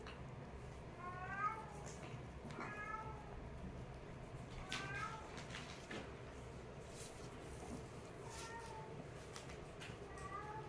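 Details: Kittens play-fighting, giving short high mews with bright stacked harmonics, several in quick pairs near the start, more at eight and ten seconds; soft thumps and scuffling between calls over a low indoor hum.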